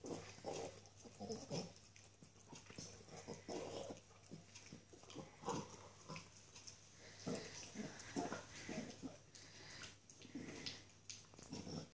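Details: Young female Norwich Terrier enjoying a delicious bone, making low snuffling grunts in irregular bursts mixed with chewing and gnawing noises, with a steady background hum.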